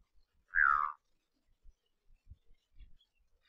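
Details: Wild Kirk's dik-dik in the semi-desert of Samburu, Kenya, gives a single loud, nasal whistle that slides downward, lasting under half a second, followed by quiet with a few soft low thumps.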